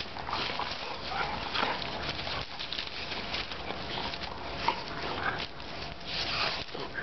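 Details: German pointers tussling for a ball: two dogs trading brief whiny vocalizations and rough breathy growls in quick bursts, over continuous scrambling and rustling noise.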